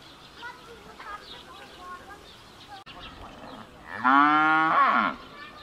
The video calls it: เสียงวัวร้อง มอๆ ลูกวัวร้องหาแม่ Cow sound